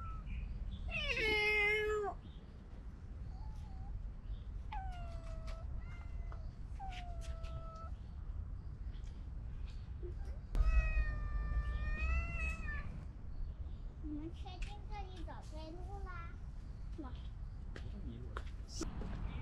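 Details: Several stray cats crowd around while one orange cat is stroked; a loud bending meow, then a string of shorter mews and a long, rising-falling meow midway, and scattered faint squeaks over a low hum.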